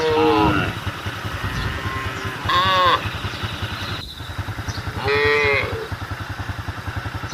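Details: Cattle on the road moo to gather the herd, three short arched calls, the first overlapping a human voice, all over a chugging engine throb.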